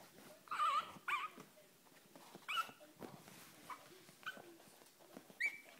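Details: Kennel Club registered Chihuahua pups making high, thin squeaky whines, each brief cry wavering then breaking off, spaced a second or more apart with quiet shuffling between.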